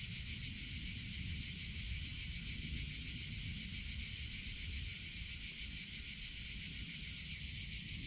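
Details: Summer chorus of cicadas: loud, sustained high-pitched buzz with a slight rapid pulsing texture, constant in level, over a soft low background rumble.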